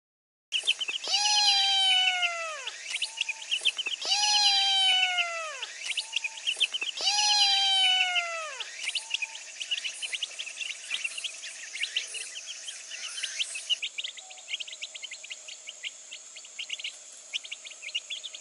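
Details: Little orange kitten in the afternoon giving three long, drawn-out meows spaced about three seconds apart, each rising then sliding down, followed by quieter short calls, with steady bird chirping underneath throughout.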